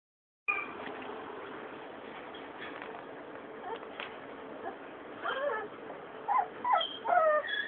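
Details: White Labrador Retriever puppies give thin, high whimpers and short yips, several rising-falling squeaks bunched near the end over a steady background hiss.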